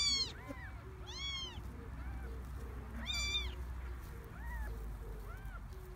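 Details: Garden-born kittens, three of them from a stray mother, give scattered high meows, a few loud and bright, others softer and lower, between bursts of low outdoor rumble.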